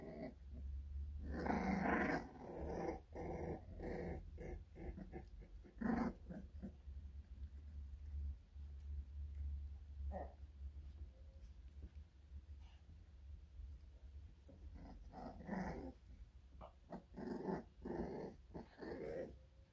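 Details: American Bully puppies indoors in a small room, a series of rough, throaty growling bursts through the first half, quieter stretches in the middle, then several more short growls near the end, over a steady low hum.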